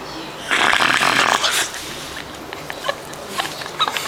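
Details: Shetland Sheepdog asleep and disturbed by his owner, giving one breathy, rasping, hiss-like snore lasting about a second, followed by quieter scattered clicks and small rustling noises.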